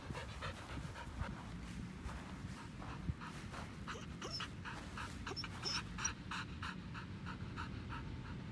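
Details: Pasepon, an elderly white Samoyed on a lawn, pants in quick, regular breathy bursts about three times a second. A low background rumble continues throughout, with a few faint high chirps near the middle.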